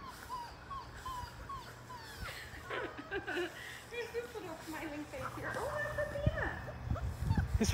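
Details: Five-week-old Labrador Retriever puppies, a litter of six, playing in the shallow baby pool where they were born and trying the water for the first time; thin high whines and short yelping squeaks rise and fall, with a woman talking throughout.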